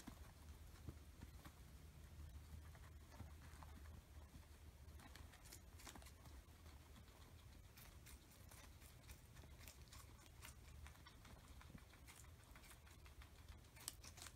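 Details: Two guinea pigs, Oreo and Buttercup, feasting on an oversized cucumber; quiet, irregular crisp crunching clicks scattered throughout, denser toward the end, over a low steady room hum.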